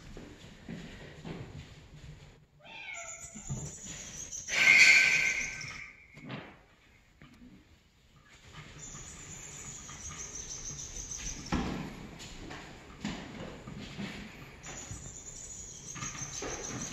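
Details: Brown spotted Bengal kitten makes a few short, high, falling mews around three seconds in, then a louder piercing cry near five seconds, amid steady rustling and handling noise.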